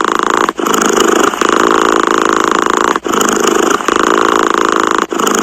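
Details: Close, even purring from a cat. The rough pulsed hum swells through phases of about two and a half seconds, separated by quick dips where the cat draws breath.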